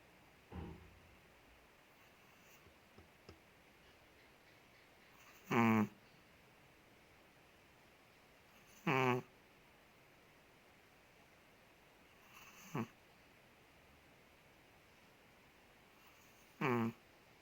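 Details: Ted, a big Chihuahua living in Indonesia, snoring while asleep indoors: four short, nasal, harmonic snorts roughly every three to four seconds, with quiet breathing between them and faint small noises in a small room.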